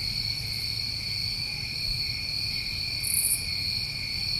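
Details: Night crickets in New England summer: an even, sustained high trilling in stacked tones, one quick bright buzzy flare near the end, dull low hum underneath.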